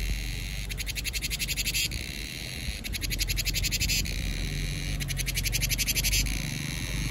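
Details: Cicada calling in summer: three pulsed, rattling buzzes of about one second each, spaced roughly two seconds apart, over a steady low rumble of background noise.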